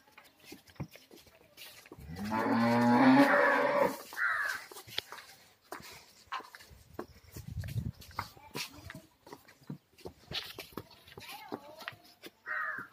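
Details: Kangayam heifer, a reddish sevalai-coloured young cow with two teeth: one loud, long, low moo lasting about two seconds, followed by quieter rustling, shuffling and scattered short knocks.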